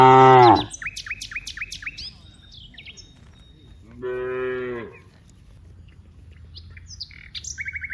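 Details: From a herd of dozens of cows in a wide rice field: a brief loud moo opens, followed after a pause by a second, softer, drawn-out moo, with repeated bird chirps and twittering around them.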